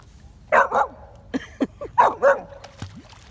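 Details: Young Samoyed taking to the water for the first time barks repeatedly, two quick double yaps about a second apart, with a short human word and splashing between them.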